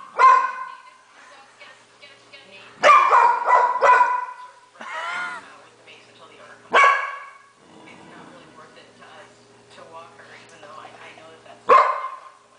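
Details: A pet dog, female, barking at the TV whenever a dog-training program is on; strong barks come singly and in a quick triple, with a wavering whine between, while television speech and a hum carry on beneath.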